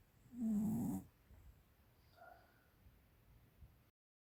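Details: A 13-year-old female American Cocker Spaniel gives one loud, rasping snore, then the room falls nearly quiet.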